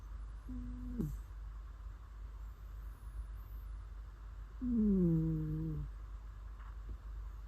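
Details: Cat snoring in its sleep, two low nasal hums several seconds apart. The first is short and level, the second longer and louder, dipping slightly. Faint hum between them.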